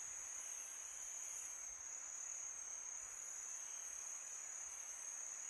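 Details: On a calm summer night, crickets produce a level, piercing high trill without pause, accompanied by a faint wash of wind across the background.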